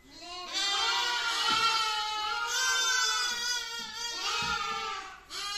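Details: Little lamb calling in a nearly continuous, trembling high bleat that rises and falls over several seconds, with a few faint knocks underneath.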